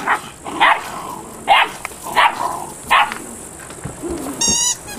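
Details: Malinois puppy at eight weeks old gives five clear, high yapping barks about one every 0.7 seconds, followed by a faint whine and a short metallic rattle at the end.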